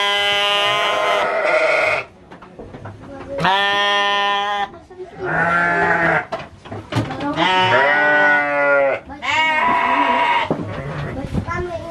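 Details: Garut sheep at the Dangiang fighting-sheep farm in Cilawu, Garut, West Java, bleating in loud, harmonic, wavering calls, five separate bleats over twelve seconds with short quiet gaps and faint background noise.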